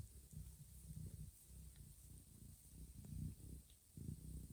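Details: Mother cat Johanna grooming her sleeping kittens in a quiet, warm room; a low, rumbling purr pulses in steady breath cycles, with faint soft clicks above.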